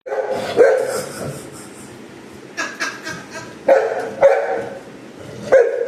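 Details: Anna, a female pet Golden Retriever, barks at her owner's mother to demand an apple: four short, sharp barks spaced irregularly over six seconds, with faint background music and low room noise between them.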